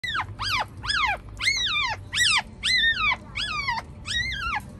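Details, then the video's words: Chihuahua puppy screaming at feeding time while its mother tries to move it to feed: loud high arched squeals with rich harmonics, about eight calls repeated roughly every half second, each rising then falling. "Chihuahua and screaming puppy - Feeding Time"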